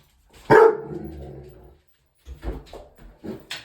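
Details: Indoor dog barking at its own reflection in a mirror: one loud, sharp bark that trails off, followed by a person's voice telling it that it is only seeing itself in the mirror.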